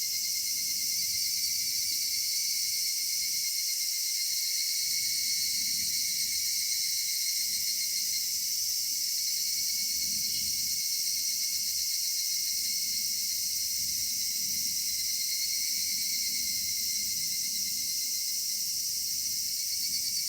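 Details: Summer evening in a cedar forest, full of cicada song: a continuous shimmering high buzz layered in several bands, holding an even level for the whole stretch over a soft low murmur.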